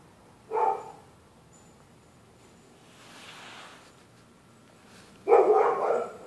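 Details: Neighbours' dogs barking through the night at anyone using the public sidewalk: one short sharp bark, then after a quiet stretch a longer, louder burst of barking near the end, with a soft whooshing swell between them.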